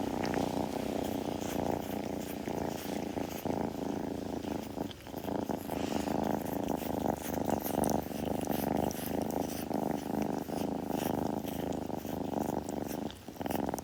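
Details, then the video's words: Kitten purring while grooming, recorded up close: a continuous, deep rumbling purr that holds steady for the whole stretch, with faint rustling and licking noises over it. "子猫のASMR / グルグル音・毛づくろいの音など"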